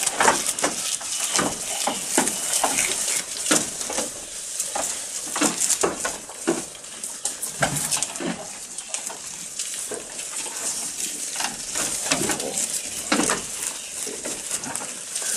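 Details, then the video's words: Goat eating, recorded close up: a steady run of sharp, dry crunching and chewing clicks, several per second, continuing throughout against a faint hiss. "Goat Eating Sound"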